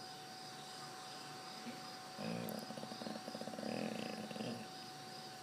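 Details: Dog asleep on a bed, snoring: a rasping, rapidly pulsed rattle of about two seconds rising out of quiet breathing, set against a steady electrical hum.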